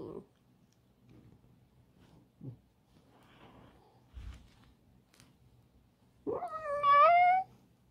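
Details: Pet fox Alice, living in a home, makes soft scuffles and then a rising, drawn-out, strongly tonal whine near the end, held steady for about a second in a quiet indoor room.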